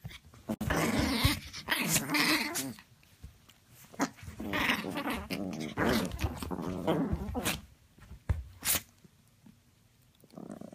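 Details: Yorkie and Maltese playing together indoors, with rough, low growling bursts and scuffling in irregular spurts, broken by short quiet gaps and sharp clicks.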